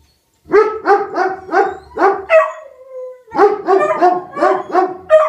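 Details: Rufus the Beagle and Axle the German Shepherd bay and howl in response to a tornado siren: a burst of rapid, harmonic barks, a sustained wavering howl in the middle, then another string of loud bays.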